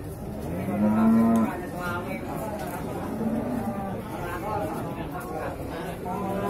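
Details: Male beef cattle at the Singkil cattle market in Boyolali, Indonesia, on Saturday 6 July 2019; one short, low, droning moo rises out of a steady murmur of crowd chatter and background market noise.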